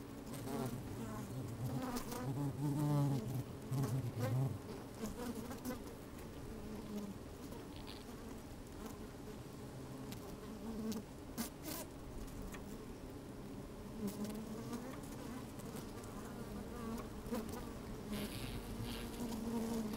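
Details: Inside an open beehive on a sunny, slightly windy day, honey bees move about and hum; a continuous low droning buzz with shifting harmonic tones, scattered crackles and taps of bees brushing the microphone.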